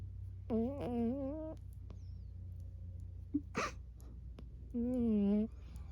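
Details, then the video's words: Burmese cat named Emma Rose making little noises while asleep indoors: two drawn-out, slightly wavering moan-like tones about a second long, separated by a quiet snuffle and a brief rustle, over a steady low room hum. "Emma Rose the Burmese cat making sleep noises"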